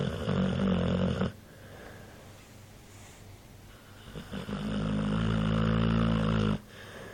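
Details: Snoring from Mike the dog in a small room, a deep buzzy low-pitched drone with stacked harmonics, a loud stretch at first, a quieter pause, then a long sustained snore before it cuts off.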